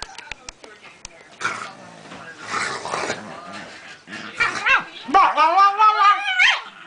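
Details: A pet Pekingese, called a talking dog, makes a few noisy sounds, then a run of rising and falling harmonic yowls near the end. Its owner urges it on with speech.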